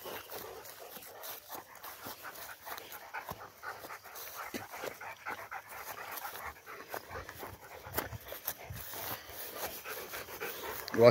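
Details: Two Rottweilers being walked down from a tower, panting steadily: a continuous run of quick, breathy, noisy huffs with no clear pitch for about eleven seconds, ending in a sudden sharp louder sound.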